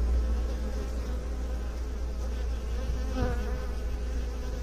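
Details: A constant buzzing hum of bees, low and droning with faint tonal bands above and a brief brighter flicker near the end.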